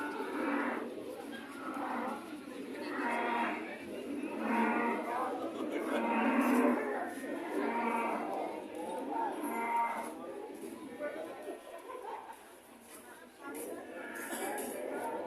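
Cattle lowing in long, drawn-out moos that overlap and swell, one after another.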